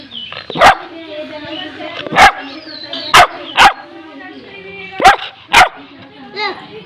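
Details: Labrador Retriever puppy barking for a biscuit: six sharp, loud barks at irregular intervals, in pairs, over a person's speech and commands in Hindi.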